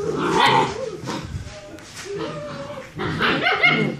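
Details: German Shepherd pups aged six weeks play fighting; a yelp then warbling, rising-falling growls, a quieter stretch, and a loud closing burst of squeals and growls, with a human voice possibly mixed in.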